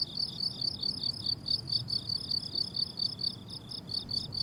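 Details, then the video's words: Crickets on a blooming summer meadow: high, pulsed chirps repeated in a steady rapid series about four to five times a second, with overlapping callers and a soft low rumble underneath. "Relaxing Cricket Sounds on a Summer Meadow"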